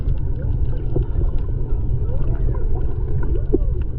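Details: Singing whales underwater at Maui, Hawaii, in February 2020, picked up by a GoPro while snorkeling: smooth arched moans sweeping up and down in a slow sequence beneath dense low rumbling sea noise.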